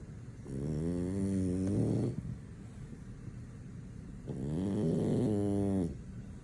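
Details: Male French Bulldog sound asleep, not woken by anything, produces two long, evenly spaced, rattling nasal snores of about a second and a half each, with a quiet breathing gap between them.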